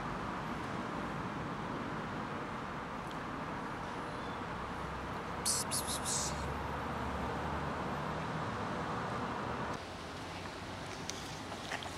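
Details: Steady outdoor traffic hiss with a brief rattling burst midway; no animal call stands out.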